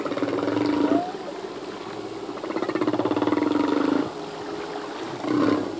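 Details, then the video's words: Singing male humpback whale underwater: drawn-out groaning, buzzy pulsed tones, one rough sustained unit and a brief upswept note near the end. "Whale song - full length humpback whale song"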